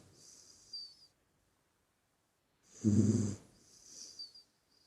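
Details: Puppy sleeping: a fading breath at the start, a long pause, then one strong rasping low snore followed by a lighter whistling exhale.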